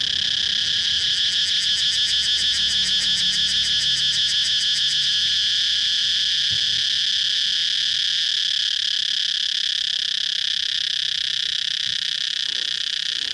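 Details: Cicadas keep up a steady high-pitched buzz. A rapid ticking rattle overlays the drone during the first five seconds, then the drone carries on alone with a few faint low thumps.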